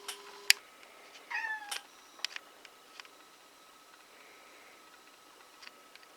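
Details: Black kitten indoors during its last quiet time before being handed over for adoption on 16 November 2017: a short descending meow with bright overtones, followed by light clicks and taps in a quiet room.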